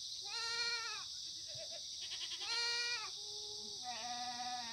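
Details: Free-range Korean black goats on an antibiotic-free farm near Muchuksan in Gimhae, South Korea, on a clear September 2019 morning; a few separate bleats with rich harmonics, each about a second long, spaced by pauses, over a steady high-pitched hiss.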